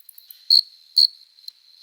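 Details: Summer-night cricket song from an adult male rubbing its forewings in courtship: two loud, shrill chirps about half a second apart, with softer chirps and a steady thin high trill behind them.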